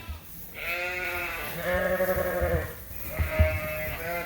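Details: Suffolk lambs in a barn at Ewetopia Farms, mixed into one big group after a gate was left open, give two long wavering bleats with rich harmonics, the second louder, over low barn rumble.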